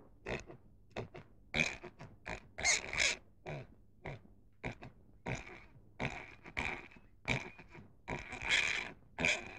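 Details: Short, raspy pig grunts and squeaky snorts come in quick succession, about two each second, some louder and shriller, over a low steady background hum.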